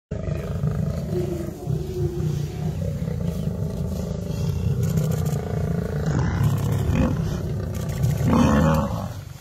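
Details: Lion pride fighting a buffalo herd: continuous deep, rumbling growls and snarls, with a louder, rougher roar-like burst near the end over steady low thrashing noise.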